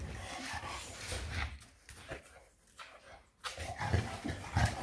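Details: Shar pei named Eva playing wild indoors, giving low rumbling growl-like grunts; the rumbling fades to a quieter stretch midway, then louder pulsing rumbles return near the end.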